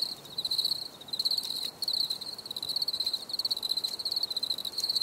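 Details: High, pulsing cricket trills run almost without break, each burst a fast series of bright ticks, with one short silence near the middle.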